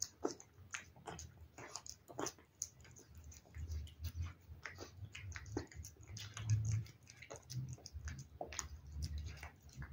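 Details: Domestic cat chewing wet food, quick clicky bites and wet smacking repeated in irregular runs over a low rumbling background, intensity rising around the middle.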